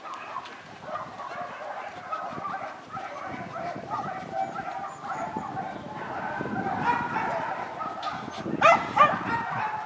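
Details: Many shelter dogs in Rzeszów in a dense, continuous chorus of overlapping barks and yips, with human speech mixed in and a few louder, higher yelps near the end.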